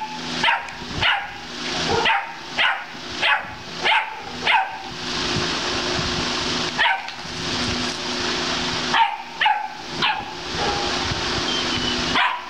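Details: Dominant castrated male German Shepherd barking without pause; a steady run of sharp, forceful barks about every half second to second, briefly broken by a noisy stretch, over a persistent low hum.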